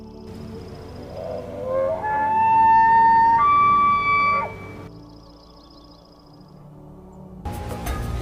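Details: A bull elk bugles during the rut to show dominance and attract females, a low start sliding up into a long, high, whistling scream; these bugles reach about 90 dB, carry up to 3.5 km, and are heard mainly after sunset and before sunrise.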